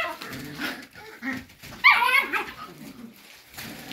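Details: Cocker spaniel puppies asking to be let out: soft whimpers and one brief, loud, high-pitched yelping whine in the middle, inside a small room.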